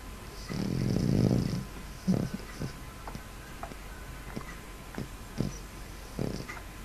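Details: Sleeping cat snoring: one long, rough, breathy rasp near the start, then shorter soft snuffling breaths roughly every half to one second over a faint steady background hiss.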